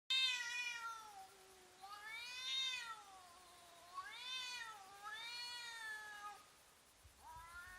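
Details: Domestic cats intimidating each other before a fight, slow-motion footage: long harmonic yowls rising and falling in wavering arcs, several drawn-out cries in succession with brief pauses, no other sounds.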